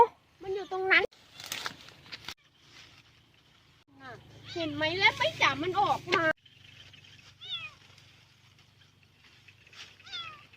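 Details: A lost kitten, found hidden in a hollow near a rice field on 9 August 2023 after being heard crying, gives high, wavering meows in quick bursts, with a woman talking and music behind.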